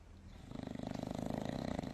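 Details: Dog snoring in a funny moment: after a brief quiet start, a rough, fluttering rattle sets in and holds steadily for over a second, pulsing rapidly and evenly, with no other sounds nearby.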